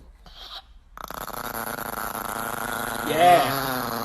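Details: Chihuahua named Nikki, a pet dog, giving a drawn-out, rough, harmonic-rich growl that holds for about three seconds and swells louder near the end, after a brief quiet start and human speech.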